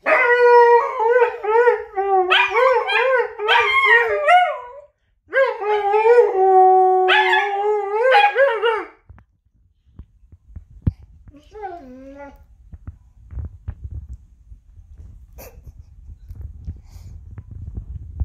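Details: Husky howling with a wolf, two bursts of wavering, yodelling howls in the first nine seconds, then a short falling call near twelve seconds and quiet rumbling background noise to the end.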